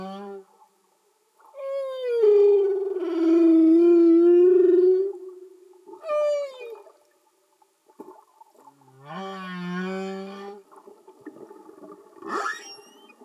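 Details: Humpback whales sing underwater: a series of long tonal moans and wails, some sliding downward, others rising, separated by short pauses, with a harmonic-rich buzzy unit near the end and faint clicks, no music.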